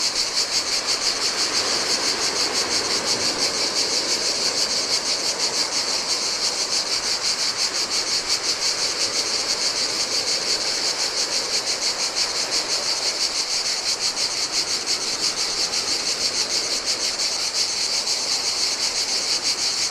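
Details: Cicadas singing in the heat along a desolate Greek island beach on the Adriatic. A sustained, high, rasping chorus pulses rapidly and evenly for the whole stretch, backed by a soft wash of surf.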